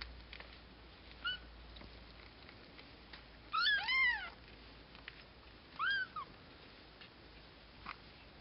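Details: Nearly two-week-old Cashmere and Bengal kittens: one brief high mew, then a loud cluster of three arching, high-pitched mews, another single mew a couple of seconds later, and quiet rustling in between.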